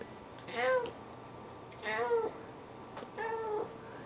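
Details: A talkative Siamese cat, chatting a lot one afternoon, gives three drawn-out, wavering meows, each about half a second long, in steady succession.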